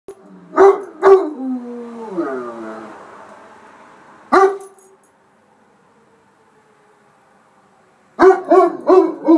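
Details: A dog answering a storm siren: short barks, then a falling, wavering howl, a quiet gap, then a burst of repeated barks at the end.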